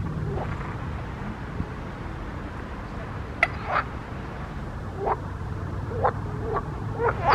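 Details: Frogs croaking in a pond: short, sharp upward-sweeping calls spaced a second or so apart, growing more frequent toward the end over a low steady background rumble.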